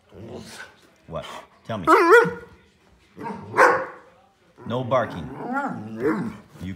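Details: Frustrated to be kept from going outside, Nico the aging Pudelpointer voices a string of wavering, wookie-like yowls and grumbles, some warbling up and down in pitch, in quick uneven bursts inside a room.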